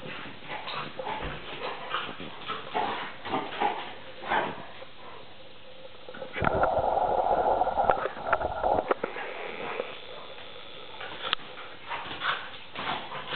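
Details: Two dogs at play, Tarka the Vizsla puppy aged three and a half months and NooNoo the pointer, rough-and-tumble that looks like fighting. Scuffling, short yips and snarls, then a sustained whiny growl in the middle before the scuffles return.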